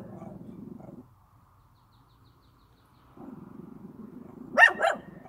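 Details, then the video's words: Dog recorded in the countryside: a deep continuous growl, a silent gap of two seconds, the growl resuming, then two quick loud barks in close succession. "개 짖는 소리"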